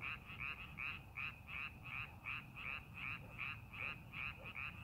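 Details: Rice paddy frog during farming preparation croaks in an even rhythm, brief grating notes about two and a half per second, set against faint low background rumble.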